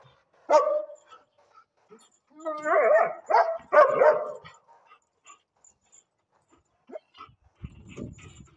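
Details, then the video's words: Angry female German Shepherd guard dog barking: one sharp bark, a pause, then three quick, rough, harmonic barks in a burst. Quiet follows, with faint scattered noises near the end. "She is so angry my dangerous german"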